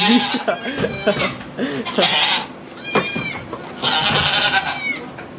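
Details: Goat giving birth to two kids in a sugar shack at Chalet du Ruisseau, rang de la Fresnière, near St-Benoît, Quebec, Canada, recorded on an iPod Touch; high, quavering harmonic bleats in short bursts, with French-speaking voices early on.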